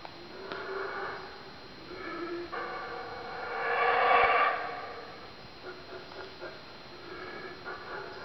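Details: Howler monkeys calling amid the Mayan ruins at La Milpa, Belize: a deep, rough roaring chorus swelling to a loud peak midway, then fading into lower, broken growls with steady background hum.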